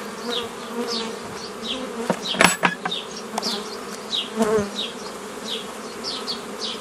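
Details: Honey bees buzzing while nucleus colonies are formed the old way from a previously formed forager swarm, recorded 15 May 2018 in Romania; steady droning hum with scattered bright zips of individual bees flying past and a few knocks.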